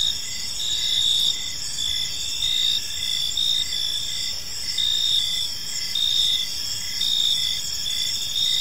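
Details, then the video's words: Evening chorus of crickets in a quiet park, high-pitched trilling that rises and falls in gentle waves, with rhythmic pulsed chirps threaded through a faint low rumble. "Park Serenade: Cricket Sounds in a Peaceful Park | Evening Ambience"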